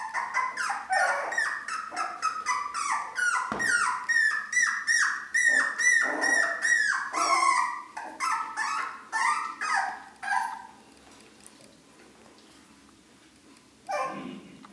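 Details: A litter of four-week-old Long-haired Dachshund puppies in a dense chorus of rapid high whines and squeals, several voices overlapping for about ten seconds before fading to near silence and one last yelp.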